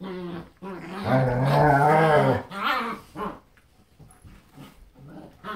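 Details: Playtime between German Shepherds Grunt and Roux and their young daughter: a sustained, rough, throaty growl rises and wavers, then breaks into shorter grumbles and quieter huffs as the adults teach the puppy to play.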